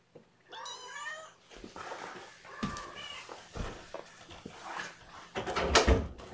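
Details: Kittens during a first morning feeding with syringe formula, 8 May 2018, indoors: a burst of high, harmonic-rich mews stacked close together near the start, then rustling, handling noises and scattered squeaks.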